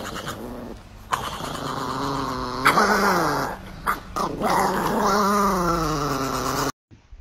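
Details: Pet dog in a home compilation of funny moments, making long drawn-out growling and whining vocalizations with wavering pitch across several seconds, broken by short pauses, with music in the background.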